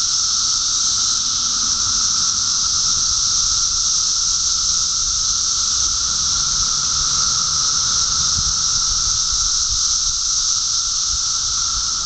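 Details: Dense, unchanging buzzing drone of a mass emergence of 17-year cicadas in Park Ridge, Illinois; the shrill wall of sound holds steady throughout, with a fainter tonal band below and slight low rumble.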